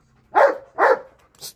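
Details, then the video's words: Belgian Malinois barking at a cat: two short, harsh barks about half a second apart, then a faint brief hiss-like noise. A person gives quiet commands just before and after. "BELGAIN Barking the Cat"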